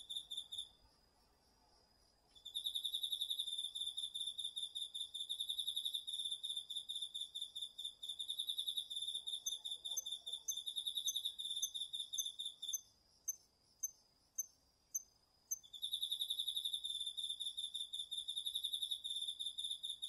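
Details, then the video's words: Crickets among autumn insects in a home garden vegetable patch at night, recorded on a DR-40X: after two quiet seconds, high pulsed chirps run in rapid bursts, pause briefly near the end, then resume. "秋の虫の声 ASMRでおやすみなさい 〜虫の音を枕元で聞いてね〜 こおろぎ他"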